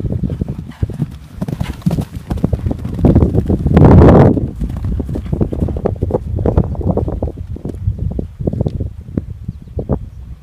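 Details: Purebred Arabian mare galloping and bucking around her field; heavy, irregular thudding hoofbeats in rapid succession, with a louder burst of pounding and scuffing near the middle, no vocal calls heard.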